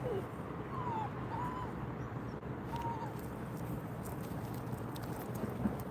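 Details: A dog named Simkong whines on a first walk, which turns out to be a visit to the animal hospital: three short, high, arching whimpers in quick succession early on, then quieter, against constant low indoor hum.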